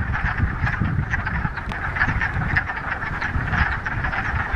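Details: Crowd of frogs at a mountain pond in the Ramapo Mountains, mid-March, first warm spring day after a week of rain, giving an unbroken mass of rattling croaks over a constant low rumbling background.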